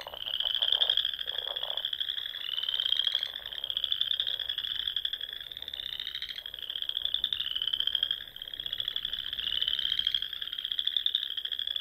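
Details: Frogs in spring chorus at dusk among the rolling dunes and small ponds of Nebraska's Sandhills; a dense, continuous high trilling band of many overlapping callers, swelling in waves every couple of seconds, with lower pulsed croaks underneath.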